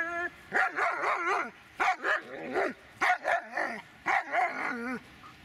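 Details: Dobermann named Magmar von der Burgstätte giving a run of short, sharp barks in loose clusters, roughly two or three bursts per second with brief gaps, loud and close with no other clear sounds.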